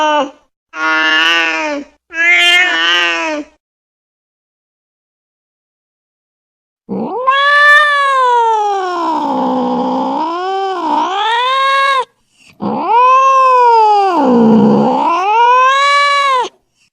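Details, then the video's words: Angry cat calling, a sound meant to frighten other cats: two short harmonic meows, then long wavering yowls of about five seconds each that rise and fall in pitch, with a brief gap between them. "SUARA KUCING MARAH 100% ampuh bikin kucing ketakutan"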